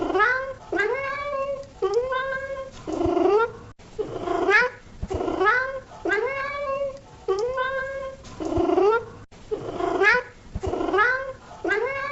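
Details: Cat producing a run of short meows, each rising then falling, about one per second, with small clicks and thumps between calls.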